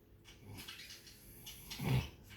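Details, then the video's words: A sleeping Labrador Retriever named Toni, dozing in dreamland, gives one deep, rasping snore that swells near the end, with a low room hum underneath. "Wer schnarcht da? Sascha & Labrador Toni im Land der Träume."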